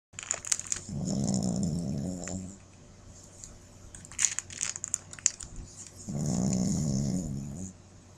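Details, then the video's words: Shih Tzu puppy asleep and dreaming, giving two drawn-out, low, rasping snores about five seconds apart, each lasting over a second, with faint ticking and rustling noises in between. "puppy snoring"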